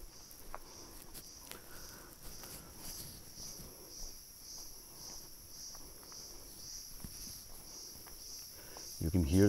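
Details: Cicadas on a tree among deodar cedars at about 2000 m in Manila, Almora District, Uttarakhand, hold a thin, high, evenly throbbing buzz, with footsteps, low rustling and a loud clatter at the end.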